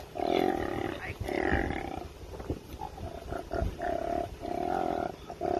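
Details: Koala growling while being rescued from a road: a series of harsh, low, droning growls in bursts about a second long, separated by short pauses, with faint background noise.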